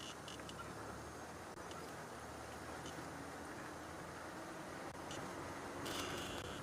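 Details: A steady rumble of an idling vehicle fills the air, with faint scraps of distant voices and no clear animal calls.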